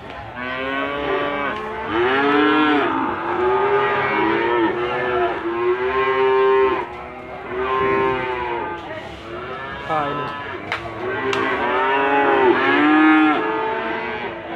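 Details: Limousin cattle lowing at the Gondanglegi livestock market, Malang regency, East Java, 12 February 2020; a long series of strong, wavering moos follows one after another, with brief clicks and market noise between them.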